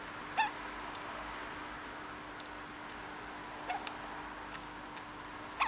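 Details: Conan the pet degu hiccuping: three short, bright squeaks with a clipped, slightly rising tone, separated by long quiet gaps, indoors with a steady low electrical hum and a few soft clicks.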